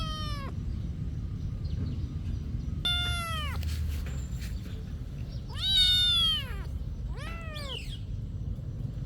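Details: Monastery cats in daily activity: four clear meows, each arched and richly harmonic, the third longest and loudest, separated by short pauses over a soft low hum.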